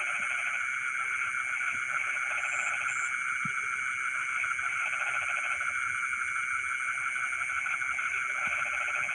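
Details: Night chorus of frogs in rice fields, with short trains of fast, rattling pulses rising and fading above a constant buzzing hum of insects and faint high chirps.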